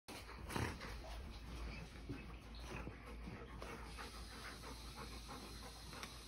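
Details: A yellow Labrador Retriever pants in quick, breathy huffs while enjoying a new chew toy, over a steady low background rumble.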